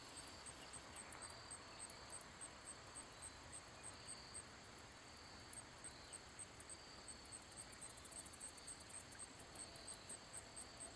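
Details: A handsome meadow katydid (Orchelimum pulchellum) sings a thin, very high ticking series, produced by rubbing its wings, over a low rumble of distant traffic.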